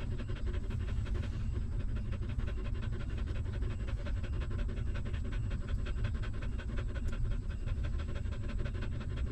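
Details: Newborn puppy feeding at its stray mother's teats, sucking milk in an even, fast rhythm of soft smacking pulses that run unbroken through the whole stretch above a heavy low-pitched rumble.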